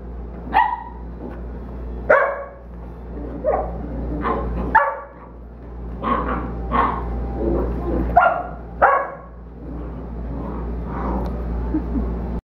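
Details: Rowdy play among dogs Brees, Zuzu and Mongo, an 8-week-old Belgian Malinois: a rapid, irregular run of a dozen or so short yappy barks and growly yips over twelve seconds, layered above a low electrical hum.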